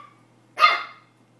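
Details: Pomeranian puppy barking for the first time, super excited while attacking a tennis ball: a single short, high, sharp yap in a quiet room with a faint low hum.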